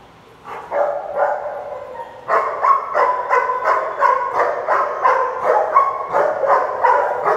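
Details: Big dogs at a play group barking in a rapid, uneven run of sharp, mid-pitched barks, about three per second, after a short quiet start; several overlapping voices with no other clear sounds.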